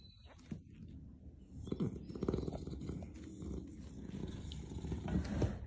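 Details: Pet Beagle named Rocket snoring very loudly while asleep: a low, rough rumbling that swells and eases over a few seconds, with faint scratchy clicks and rustles above it.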